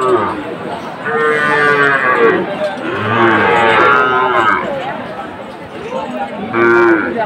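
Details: Sahiwal bull at a cattle market in Chattogram, Bangladesh, recorded in September 2024: several long, harmonic moos that rise and fall, each lasting one to two seconds, with crowd murmur and music in the background.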